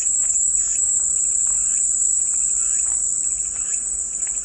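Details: Continuous piercing buzz of cicadas, even and unbroken from start to finish, with a few soft, faint chirps from other animals in the background.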